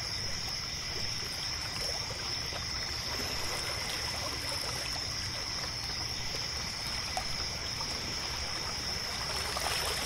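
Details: Night crickets at a lakeside pier hold one continuous, even, high-pitched trill, backed by a weaker lower hum, while water gurgles and trickles steadily and a brief brighter splash rises near the end.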